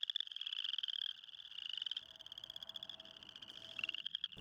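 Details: Spring peepers calling for mates at a small pond, the male's throat swelling hugely as he calls; a dense chorus of high, shrill peeps from many overlapping frogs, sustained throughout with brief dips.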